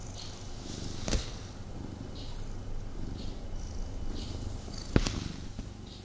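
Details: Indoor male pet cat purring during a cuddle with its owner, restless and unable to fully relax; continuous deep rumbling purr, with two sharp clicks or knocks and light rustling of fabric.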